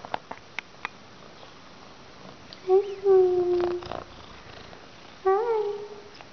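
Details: Raggles, an adoptable young female rescue kitty described as "Russian Blue" and known for talking back when addressed, utters two drawn-out, level meows, the first lasting about a second, after a few soft taps indoors.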